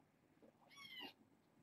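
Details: Brief high kitten mew from a fostered litter of six at bedtime, one quick bright cry rising and ending abruptly, soft rustling around it.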